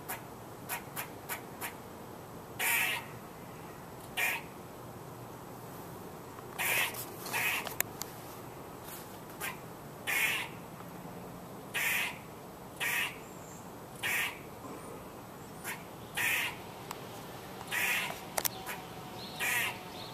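A squirrel gives harsh, buzzy chattering calls in short bursts, repeated every second or two.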